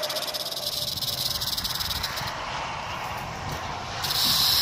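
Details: Rattlesnake filmed 1 July 2018, its rattle opening as a rapid pulsing buzz that smooths into a continuous dry hiss, growing louder in the final second.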